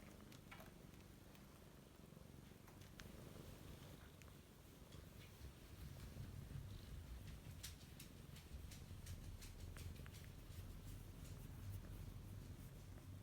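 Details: Domestic cat seeking affection indoors while the household's female Chihuahua is away, from a home with three cats: steady, deep, rumbling purr running throughout, slightly louder in the second half, with faint clicks and rustles.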